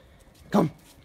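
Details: A six-month-old Rottweiler playing outdoors in nice weather in February 2021 gives a single short, mid-pitched bark, about a fifth of a second long, between a person's spoken commands to stay, come and jump.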